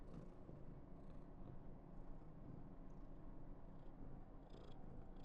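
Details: Female Somali cat Karen, born November 2021, purring affectionately on day 995: a dense, unbroken low rumble, with short airy hiss-like bursts near the start and again toward the end.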